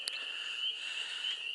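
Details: Frogs calling in a marsh where they breed, singing for their mates; a continuous high, even trill runs unbroken, opened by one sharp click.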